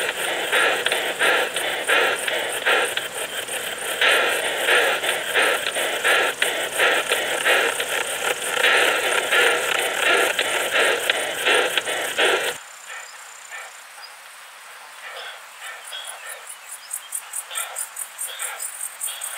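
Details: Short-tailed plump bush-cricket in Muhrtal, Austria, 24 July 2022: long stretch of dense, loud rasping pulse trains, then quieter, thin high-pitched ticks repeated rapidly and regularly.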